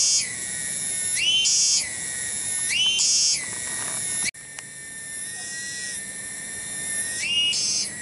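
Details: Cicada in a village garden at Cibening, Bungursari: a shrill buzzing drone with two loud pulsing surges, then an abrupt cut and a quieter, steadier whine before one more brief surge.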